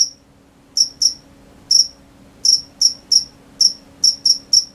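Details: Crickets calling at night: ten bright, high chirps in under five seconds, spaced unevenly, some in quick pairs, against a soft low hum.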